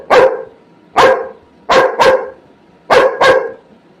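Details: Labrador Retriever barking indoors while waiting for food, six loud sharp barks, some in quick pairs, with short pauses between them.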